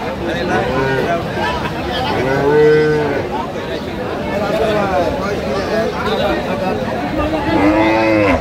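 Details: Cattle lowing at Aftabganj haat, a cow market in Dinajpur, Bangladesh, where cows with calves are sold; a clear sustained moo near the middle, further moos later, over busy market talk.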